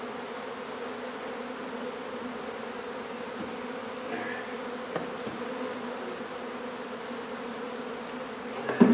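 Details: Honey bees from a nuisance hive in an old home under renovation in Donna, Texas, during a hive removal: a steady low droning hum with a layered, even tone throughout, plus a faint tap near the end.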